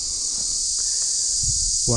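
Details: Cricket heard in daytime on Madhu Makarand fort in Maharashtra, its sound described as terrible: a steady, shrill high buzz runs unbroken through the whole stretch, with a man's voice cutting in briefly at the end.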